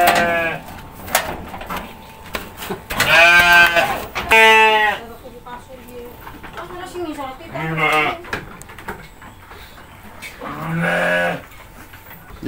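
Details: Goats being hand-fed by a child and his mother: loud, wavering, nasal bleats around three to four seconds, another near eight seconds and a longer one near eleven seconds, with Indonesian speech and rustling between calls.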